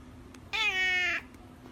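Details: Domestic cat giving a single drawn-out meow of about two-thirds of a second, steady and slightly falling at the end, presented as a talking cat moment; quiet background otherwise.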